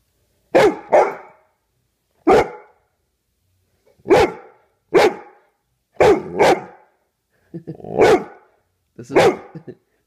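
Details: A Bullmastiff barks in the morning to wake its owner. There are about seven deep, booming barks, some doubled, spaced one to two seconds apart over ten seconds, with short silences between them.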